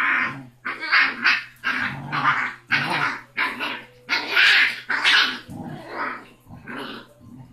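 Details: Basset Hound puppy, six weeks old, called Rocky, tough and loud toward his mother and siblings: a string of sharp, high yapping barks roughly every half second to second, with a faint low hum throughout.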